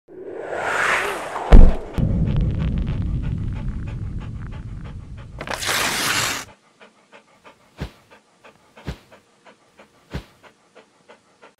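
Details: Dog panting: heavy, breathy, rasping breaths fill the first six seconds with a loud burst near the start, followed by a run of quiet, evenly spaced ticks and a few sharper clicks.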